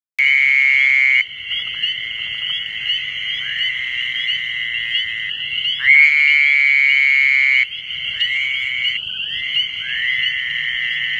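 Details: Fowler's toad calling in the New Jersey Pinelands: long, nasal, buzzy notes lasting one to two seconds, sounding at the start and again around six seconds, over a steady high chorus of other callers.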